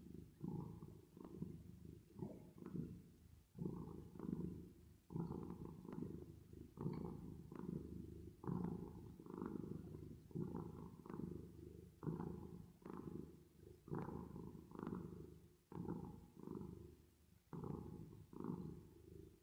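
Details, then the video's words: Cat purring at rest, reverb-treated: continuous throaty rumble pulsing quickly, a little over once per second, as inhales and exhales alternate in a dense, steady rhythm. "10 Minutes Of Cat Purring Sound With Reverb Effect"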